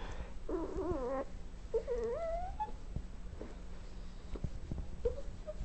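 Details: Johnny the dog, poor-sighted, moans softly when his owner returns home for lunch to let him out; a wobbling, quavering moan is followed by a drawn-out rising whine and a faint final whimper in a quiet room.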